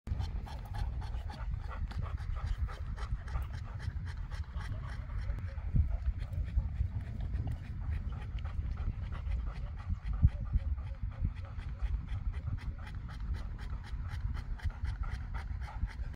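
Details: Boerboel, also called African or South African Mastiff, from a pair of dogs living in Egypt: fast, rhythmic breathy panting of about three strokes a second, held steady throughout over a low rumbling background.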